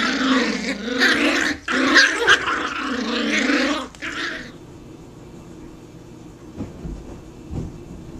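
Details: Growls from a puppy at play, roughly four seconds of harsh, pulsing growling in short bursts, then quiet with faint thumps and room noise.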